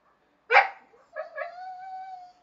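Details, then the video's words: Pet dogs Chester and Laika protesting at being told off a terrace they are not allowed on: one sharp bark, then a drawn-out, steady, whining howl with clear overtones. "Chester and Laika arguing"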